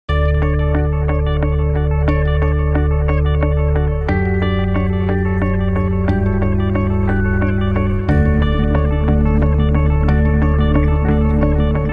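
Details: Steady plucked-string music with a repeating bass line and chord changes about every four seconds, with no animal sound.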